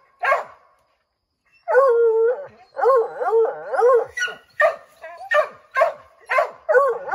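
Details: Redbone Coonhounds trying to drive a chipmunk out of an oak tree: a single bark, then pulsing bays and rapid repeated barks roughly every half second, the pack growing more insistent.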